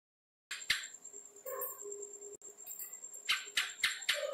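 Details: House gecko calling with a short run of sharp, dry clicks, some quickly doubled, broken by a brief gap; faint steady tones sit underneath.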